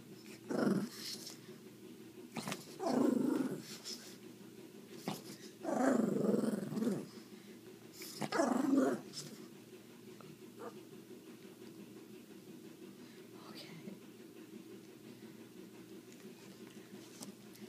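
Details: Female pug growling indoors when her view of food being eaten is blocked; four loud throaty growl bursts, each about a second long, at roughly two- to three-second intervals, then quieter low rumbling with a faint bark-like sound, in a small room.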